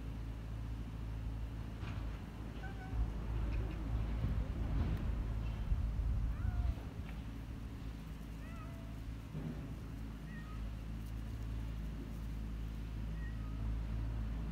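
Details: Hungry stray tortoiseshell kitten crying to its carer: several faint, short rising-then-falling meows spaced a few seconds apart, over a steady low engine-like rumble and some crackling.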